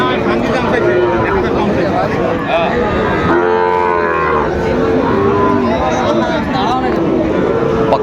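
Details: Sahiwal bulls and calves for sale at Aftabganj market, Dinajpur, Bangladesh, 2 September 2025. Several overlapping moos of varying pitch follow one another across the clip, set against a steady hubbub of people and more distant cattle.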